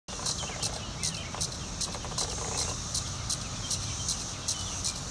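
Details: Periodical cicada trying to mate: short, high, buzzy pulses repeat in a steady series about twice a second over a low rumbling background.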